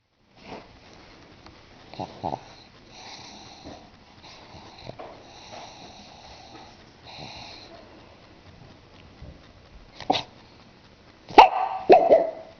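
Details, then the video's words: Pug named Bruno, a pet dog asleep indoors, snoring with raspy wheezing breaths in a steady run, then a few louder snorts and sniffs near the end in a small quiet room. "MY FUNNY PUG BRUNO SNORING"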